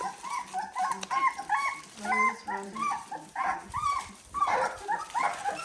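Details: Seventeen-day-old Dalmatian puppies whimper and squeal together in overlapping, rising and falling high cries, several pups calling at once in uneven bursts, with a soft blurred background.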